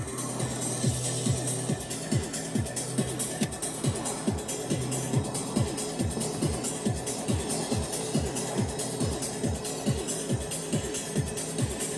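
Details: Fast electronic dance music with a steady thumping beat and sweeping synth tones, with no animal voice heard.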